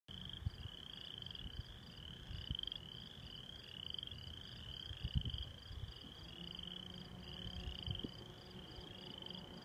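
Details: Frogs calling at Fairfax, Iowa: a dense chorus of high, rising notes repeated steadily and overlapping throughout, with scattered low thumps and rumble underneath.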